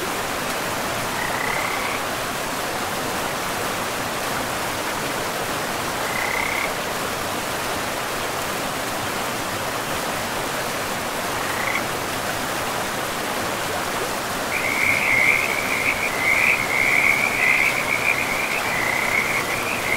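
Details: Frogs by a river in a pristine forest of trees and moss-covered land. A few short, high trilling calls come at spaced intervals, then a steady high chorus takes over in the last third. Constant rushing river water runs underneath.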